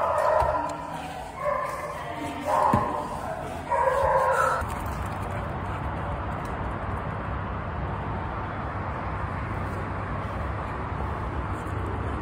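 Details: American Staffordshire Terrier named Danny, up for adoption at a shelter, giving a few loud barks in clusters over the first four seconds, then a steady low background hum.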